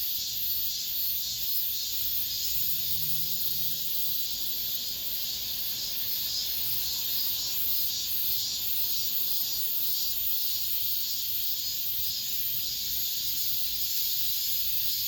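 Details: Cicadas in an apartment complex at summer's end, a loud, unbroken shrill buzz that pulses in regular waves roughly every half second for the whole stretch.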